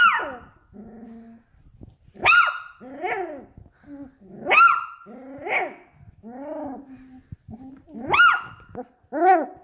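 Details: Beagle puppy vocalising at length: harmonic, yodel-like barks and howls that rise then fall, alternating with lower grumbling whines, about one loud call every two seconds, no other clear sounds.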